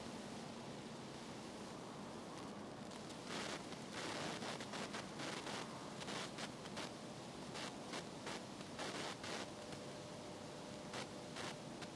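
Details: Steady broadband hiss and rustling with scattered faint clicks, with no clear animal voice heard.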